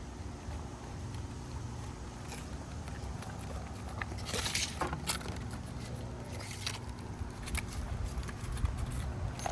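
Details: Quiet indoor background hum with faint human speech and a few short rustling bursts, and no clear animal voice.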